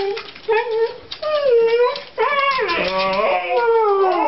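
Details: Two Siberian Huskies howling and talking indoors before a walk, hoping to be taken out: wavering, rising and falling howls and yodel-like talking, overlapping voices with rich harmonics in the second half.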